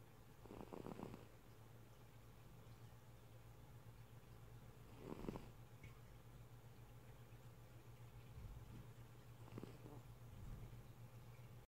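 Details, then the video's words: Sleeping domestic cat snoring, three raspy low breaths spaced roughly four to five seconds apart over a constant low background hum. "Cat, snoring"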